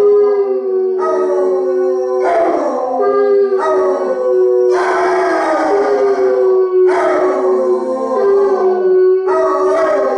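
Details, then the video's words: Harmonized group howling from Basset Hounds Radar and Otter and Bloodhound Jefro: a steady sustained note runs underneath while other voices break in with rising, wavering howls roughly every one to two seconds. "Howling away"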